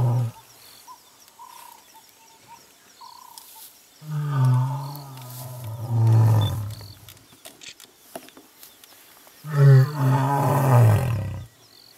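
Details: Mapogo lions in the African bush-veld roar twice: very low, rumbling calls with heavy bass, each lasting a few seconds, following a quiet stretch of faint bush sounds.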